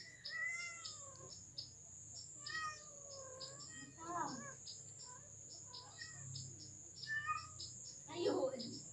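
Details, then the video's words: Mother village cat calling her kittens: a series of short, rising-then-falling meows, some drawn out, repeated every second or two, over a steady high electronic whine with people talking and laughing. "suara ibu kucing kampung manggil"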